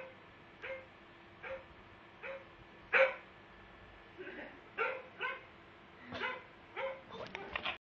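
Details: A pug, reacting to dog barking, gives short, sharp barks repeated roughly once a second.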